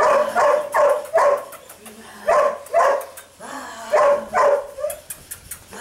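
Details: Eight-week-old sable female puppy Mika barks in short, high, sharp bursts, often in pairs, roughly every half second to second, with brief quiet gaps between the volleys.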